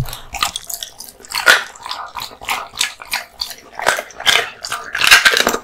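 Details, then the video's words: Raw meat and bones eaten by a male American Bully (Pit Bull) born 2016: loud bone crunches and wet bites roughly every half second, in a rhythmic chewing pattern. "Dog eating Raw Meats ＆ bones 【American Bully】"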